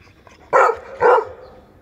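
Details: Adult Labrador Retriever giving two loud, harsh barks about half a second apart, each a short broad burst, over quiet background hiss.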